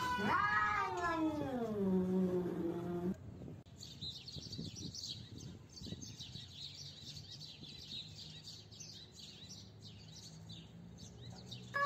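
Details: Fighting cats: a long, loud yowl sliding downward over about three seconds, then quieter hissing and rustling scuffle noise with faint high chirps in the background.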